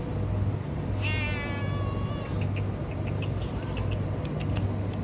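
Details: Homeless cat on a road, giving one drawn-out harmonic meow that slides downward, over a steady low hum like a vehicle engine, with faint clicks afterward.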